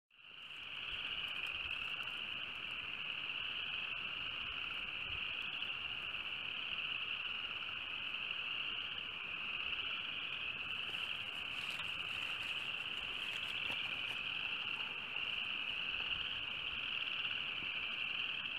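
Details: Frogs calling on a sunny, breezy day in March 2015, soon after winter ended. A dense, unbroken high-pitched trilling chorus holds steady throughout, with faint wind noise beneath.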